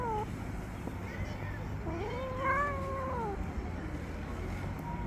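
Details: Angry female tabby street cat after being touched, before biting a hand: a brief yowl, then one long, arching moan that swells and fades, over low steady background rumble.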